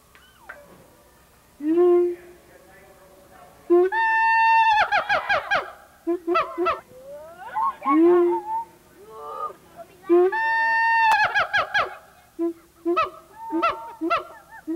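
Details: A Siamang gibbon at the Memphis Zoo in 1990 calls with loud booming barks and rising, wavering hoots that build into rapid shrieks, recorded on old VHS.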